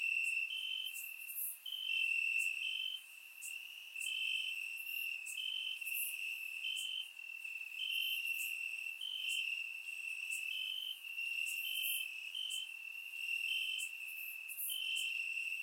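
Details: Night chorus of crickets in Bulgarian grass on a warm summer evening, surround-miked: continuous shrill trilling underlaid by rhythmic pulsed chirps roughly four per second, with scattered sharper high ticks.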